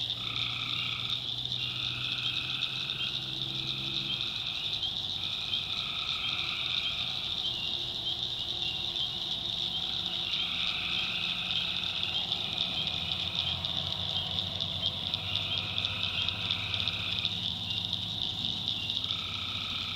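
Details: Swamp in the North Carolina backwoods at night, full of tree frogs: a constant piercing trill, overlapping drawn-out calls at two pitches pulsing on and off every one to two seconds, and a deep droning hum throughout.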